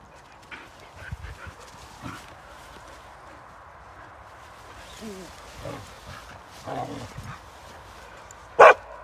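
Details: Samoyed dog called Bro, a pet in a funny home compilation: a few short barks and yips spaced over several seconds, ending in one sharp, loud bark, with quiet room noise and some human speech.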